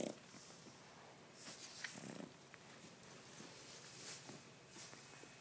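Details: A Boston Terrier snores loudly, with breathy, rasping bursts coming every second or two, apparently with its eyes not even closed.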